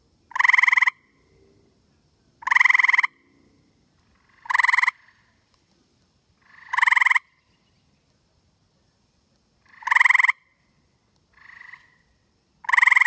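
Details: A male tree frog sits in a tree on a humid night in Connecticut, calling to his mate with short, buzzy trills about every two seconds against a quiet background.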